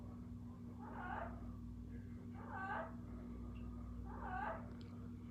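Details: Three short, bright cries from Kiko the cat, spaced about a second and a half apart, each rising then falling, with a constant low hum beneath.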